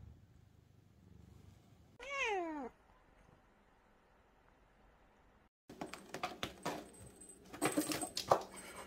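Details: Calico cat named Angttu, lying on a pile of books indoors, gives one clear descending meow of under a second with rich harmonics; quiet follows, then rustling and handling noises.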